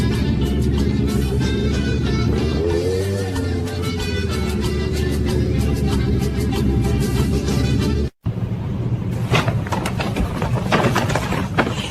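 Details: Loud music with a low rumbling bass, then a brief cut to a noisy passage with no animal voice.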